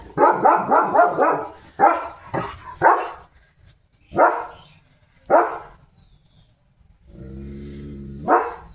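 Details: German Shepherd named Leo, a pet dog switching to alert duty after his bath, gives deep, forceful barks in uneven bursts separated by pauses, with a low droning hum near the end.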